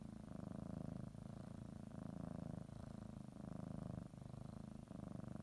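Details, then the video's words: Pet cat kneading and biting a blanket before her morning nap, purring; deep continuous rumble broken into alternating breath phases about one second long, close and quiet indoors. "Sometimes you just need to listen to a kitty purr"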